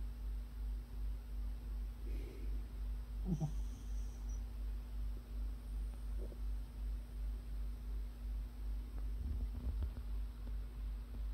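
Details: Puppy snoring in its sleep in a small room: a deep, regular breathing rumble repeats roughly twice a second, broken by a few brief higher rustles and small mouth sounds over a steady background hum.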